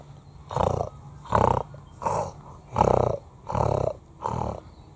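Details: A fallow deer buck on a hill in Australia gives deep, rough croaks in a steady series, calling his does closer, while a hunter nearby croaks back at him by mouth to draw him in.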